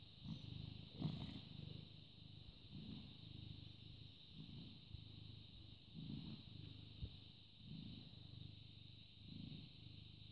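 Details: A British Shorthair cat, born August 2010 and filmed on a May morning, purrs in a low, steady rumble that swells and fades with each breath.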